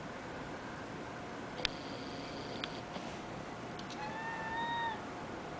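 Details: Female domestic cat chattering and talking while watching a dragonfly; a faint, drawn-out tonal mew rises slightly then holds near the end, after a few soft clicks, over a quiet steady background hiss.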